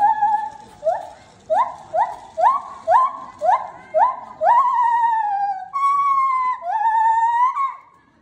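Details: A white-handed gibbon at Asahiyama Zoo gives a run of loud, hooting notes, each sweeping upward and quickening into longer wails; recorded 26 September 2019.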